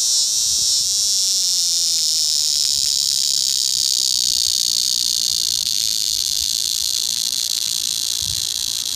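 A cicada sings a steady, high, hissing buzz that drones on without pause.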